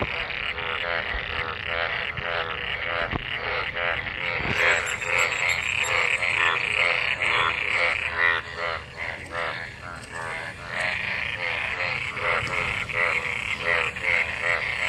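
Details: Many frogs gathered in rainwater after monsoon rain, calling while mating: a dense chorus of harmonic, pulsed croaks overlapping constantly, with a steady trilling band on top and a louder swell after about four seconds.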